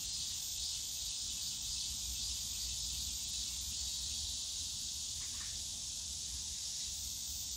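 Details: Cicadas calling on a summer day in the bamboo grove of Yongsan Family Park: a dense, unbroken high-pitched buzzing drone holds steady throughout, with a faint low rumble of park noise beneath and one brief sharper chirp midway.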